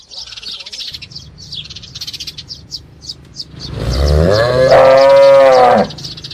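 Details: Calf mooing once, a loud sustained bawl of nearly two seconds that rises slightly and then cuts off. Pulsing high insect calls fill the background.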